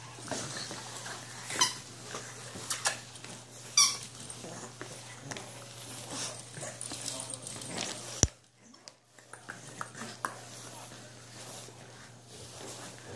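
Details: French Bulldog puppies, eight weeks old, making scattered brief high squeaks and yelps amid rustling and shuffling, with a sudden loud knock midway followed by a quieter stretch.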